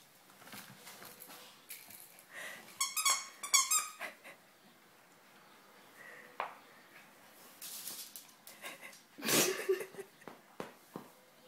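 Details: Pet dog named Spikey playing indoors with another dog, Mia. A cluster of short, tonal yips and whines near the middle, breathy huffs and snorting throughout, and a loud rough burst toward the end.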